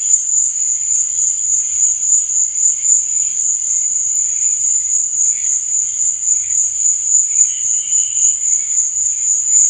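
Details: Nighttime crickets give an unbroken, piercing trill that holds steady, overlaid by quieter rhythmic chirping and a very faint low hum.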